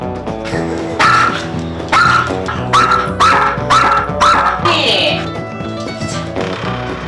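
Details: A small poodle gives a run of sharp, high barks, about one every second, over steady background music; it barks at the dad whenever he raises a hand or approaches his wife.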